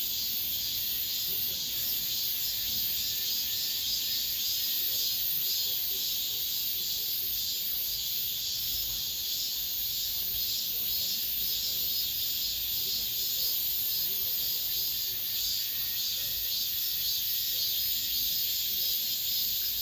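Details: Cicada song inside an apartment complex at summer's end. A steady, shrill hiss-like drone holds throughout, with faint regular swells in intensity and little else audible.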